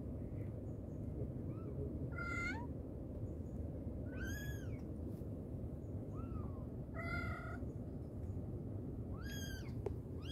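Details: Meowing mother cat calling her babies: loud bright meows alternating with softer short mews, roughly one every second or two, over a continuous low rumbling background noise.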